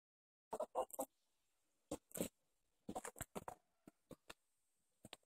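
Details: Ferrets Angus and Seamus play fighting indoors, giving short broadband clucking bursts in irregular clusters with brief silent gaps, some bursts doubled, quieter clicks near the end.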